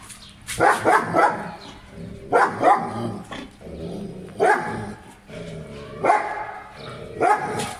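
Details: German Shepherd dog at play in Pakistan, 2020, barking in paired or tripled gruff bursts about every two seconds, loud and rasping, with a low hum underneath.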